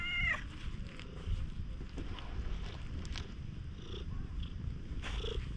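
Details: Stray cat resembling a tanuki nuzzling up at a campsite after rain, captured on GoPro; a short meow cut off at the very start, then steady low purring with occasional rustles.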